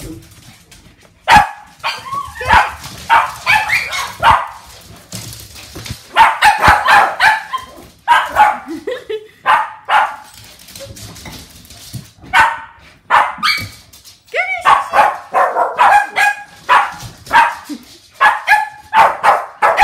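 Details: Shih Tzu pack playing with blown-up balloons indoors while wet British weather keeps them from walks; a long run of excited overlapping barks and yips in quick clusters, with short gaps and a few sharp knocks.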